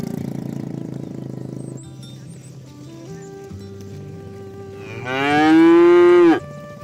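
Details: A cow gives one loud, drawn-out moo over soft background music, calling herd-mates to the pen while oxen are herded through muddy fields to the barn.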